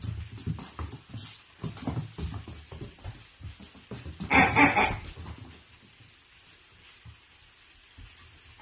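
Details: Dachshund puppies: a single short, loud, tonal yelp or whine with a rich, harmonic ring, lasting about half a second midway through, amid scattered scuffling, thumping and rustling indoor handling noises, then near quiet.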